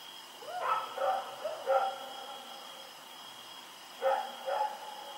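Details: Rex the dog barking while running around at night, October 7, 2018: a quick run of three muffled barks, a pause, then two more, set against a persistent high hum.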